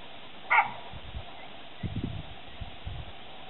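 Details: Unhappy, threatening baboons met on a walk near Salama town, Kenya: one sharp, loud, harmonic bark near the start, then soft low huffing from a panting dog in the background.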